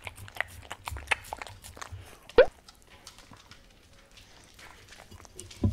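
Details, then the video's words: Welsh Corgi indoors eating wet dog food: wet smacking and clicking chews in quick irregular bursts, with one sharp louder snap partway through, then quieter soft munching in a small room. "강아지먹방 / DOG ASMR"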